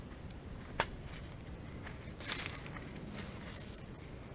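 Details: Indoor handling noise with a sharp click and a brief tearing, crinkling rustle; no animal voices.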